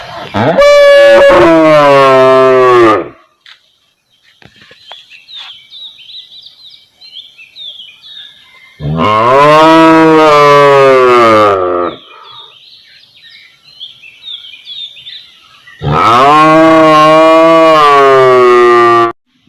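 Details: Domestic cow recorded in a village area: three long, loud, harmonic moos of about three seconds each, spaced several seconds apart, with faint bird chirps in the quiet gaps.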